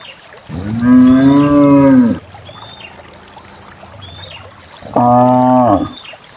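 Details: Herd of dozens of cows descending a green hill toward a grassy valley pasture; one long, slightly falling moo of about one and a half seconds, then a shorter steady moo, with soft bird chirps behind.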